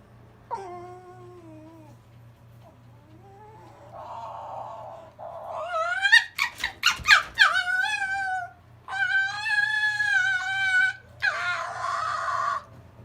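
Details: Captive male silver fox, a younger brother, whining at his older brother at night as the older one tries to reach the kennel top; thin, rising and falling whistled whines break into quick squeaky yelps, then longer wavering nasal cries.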